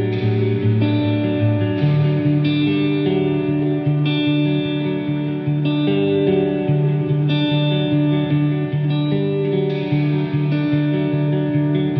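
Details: Steady electric guitar music with reverb plays throughout, and no animal sound is heard.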